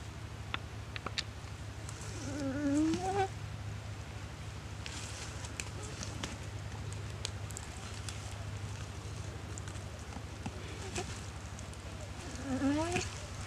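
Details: Goat bleating while attacked by a Komodo dragon, paralysed from the bite, in the dry river of Komodo Village; two wavering, quavering bleats, one near the start and one near the end, over a steady low hum and rustling.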